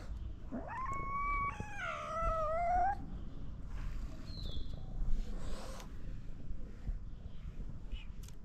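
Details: Hungry stray cat in Morocco calls with a long, loud harmonic meow that climbs sharply then holds and wavers for over two seconds, followed by softer short mews and a low outdoor rumble.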